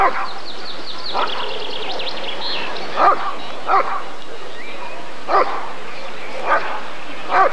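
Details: Barks of a Rottweiler during the 1994 ADRK Körung breed survey, six short harsh barks at irregular intervals, preceded by a rapid wavering high sound, with a faint murmur of people behind.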